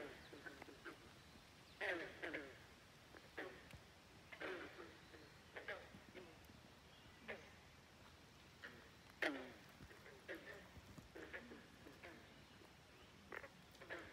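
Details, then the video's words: Croaking frogs at Great Falls National Park in McLean, Virginia: brief, harsh, pulsed calls repeat irregularly every second or two, a few louder nearby callers standing out over softer distant ones. "Frogs Croaking at Great Falls National Park in McLean, Virginia. Non-stop croaking"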